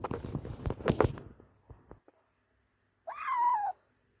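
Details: Abandoned kitten, left for two days in the snow at -11°C and then rescued, gives a single drawn-out meow that rises, then falls slightly, after a stretch of rustling and handling noises.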